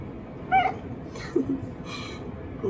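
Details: Black-and-white cat fawning with a high voice after bath time: one quick, bright, high meow, then softer low chirps and a faint later call over background hum and rustling.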